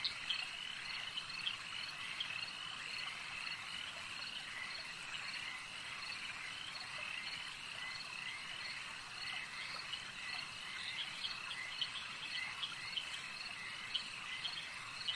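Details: Continuous lakeside frog chorus: many overlapping high, rattling croaks and trills blending into an unbroken wall of sound, steady in loudness throughout, with faint background hiss.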